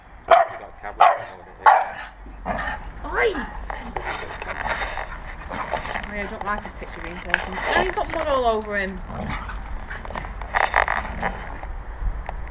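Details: Staffordshire Bull Terriers at play in a garden, a 4-month-old blue pup Ares with 4-year-old Vinnie tugging an old teddy; three sharp bursts open, then rumbling growls and a whiny whimpering note, with a person speaking.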